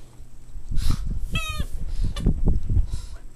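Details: Boston Terrier puppies at play: a brief, high, tonal whining yelp rises out of low scuffling thumps, snuffles and snorts, with a few softer grunts around it.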